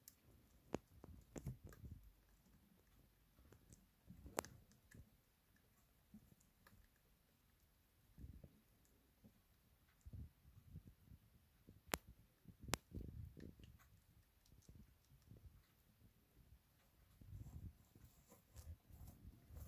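A hamster nibbles food, making soft, irregular crunching and clicking sounds in a quiet room.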